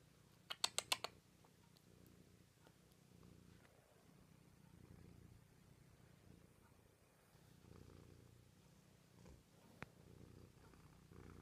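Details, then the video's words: Domestic cat purring during a morning cuddle indoors; a quiet low rumble swells and fades across the clip, with a burst of sharp clicks near the start and occasional faint taps. "Mattie purring loudly"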